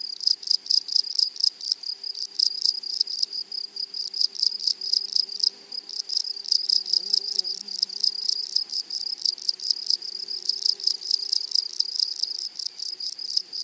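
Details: Meadow grasshoppers stridulating in a flowery prairie, a steady stream of fast high-pitched pulses with a brief lull near the middle, soft low hums underneath.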